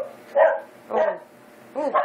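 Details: Eight-week-old American Eskimo Dog puppies making softer, lower whiny yips and a wavering whimper-like bark, three bursts spread over two seconds.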